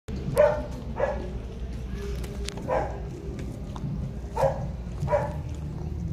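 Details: A Pekingese with a skin rash gives short, sharp barks at irregular intervals over a low background rumble.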